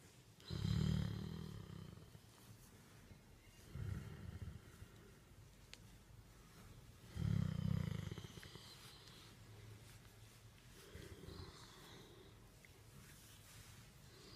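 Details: A Great Dane therapy dog named Becket purrs while being petted. There are three strong, low, vibrating rumbles a few seconds apart, followed by softer, fainter rumbles in a quiet room.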